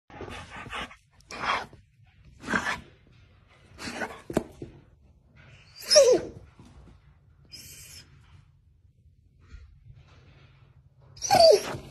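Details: Doberman dog indoors alerting its owner that squirrels are back, giving a series of short, throaty grumbling vocal bursts roughly every second or two, two of them ending in a higher whining rise, in a small quiet room.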